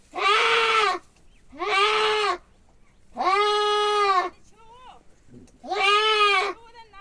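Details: A billy goat undergoing castration gives four loud, drawn-out bleats at a steady rhythm. Fainter, higher calls are heard in the gaps between them.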